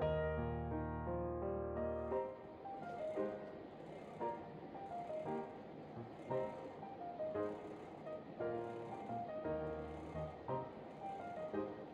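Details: Gentle piano-led instrumental music plays throughout with steady melodic phrases and no animal voice.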